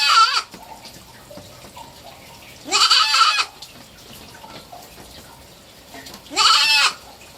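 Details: A three-month-old pet kid goat cries in three separate bleats, each a strained, rising-then-falling wavering call lasting under a second, spaced several seconds apart over a quiet room background.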